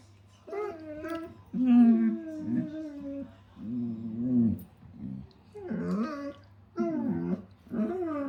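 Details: German Shepherds at playtime indoors making funny noises; drawn-out, whiny, yodel-like moans and groans in bursts of about one second, pitch wavering up and down with rich harmonics, repeated several times over eight seconds.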